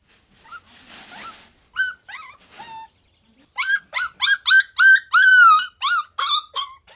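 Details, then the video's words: Puppies drinking milk on a lush green meadow give high, whining yelps: a soft rustle, a few scattered whimpers, then about a dozen short, bent, rising-and-falling cries in quick succession, one drawn out longer near the end. "Adorable Puppies Drinking Milk on a Lush Green Meadow | Puppy Video | Cute Barking Sounds"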